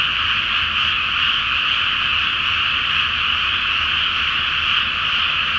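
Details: Massed frog chorus at night over a flooded rice paddy before planting, under a full moon in the flower-moon season: a dense, steady wall of high trilling croaks with no pauses.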